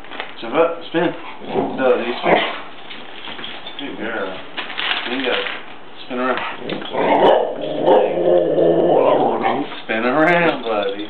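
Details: Two pet dogs doing tricks and 'talking' on cue. Repeated wavering yowls and whines, with a long sustained moaning howl midway and a final rising yodel-like call. An owner's voice speaks between the sounds.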